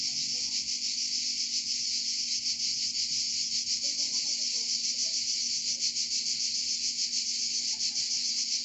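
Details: Cicadas of Provence, France, in full chorus: sustained shrill buzzing, high and steady, with quick throbbing pulses and no pauses, a few faint low sounds underneath.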